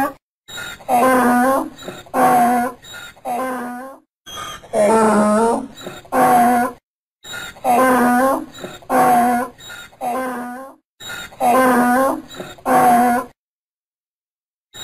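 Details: Donkey braying in a series of harsh, harmonic hee-haw cycles, loud honking exhalations alternating with softer wheezing inhalations, about five bursts in a row before a pause and a final quiet gap; no other sounds.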